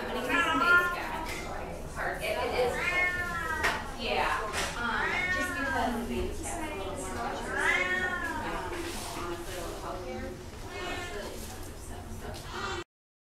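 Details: Domestic Shorthair cat awaiting adoption, August 2016, meowing repeatedly in arched, wavering cries, several close together then spaced a few seconds apart, while someone talks nearby in a small indoor room.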